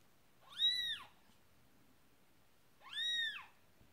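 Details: Persian cat Marley in labour with kitten number two gives two long, arched meows about two and a half seconds apart, bright and harmonic, in a quiet small room.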